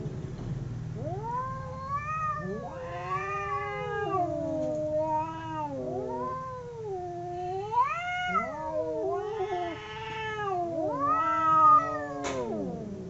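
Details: Two domestic cats howling as they fight, a chain of loud wavering caterwauls that swoop up and down, overlapping yowls building to higher, harsher wails toward the end over a low hum.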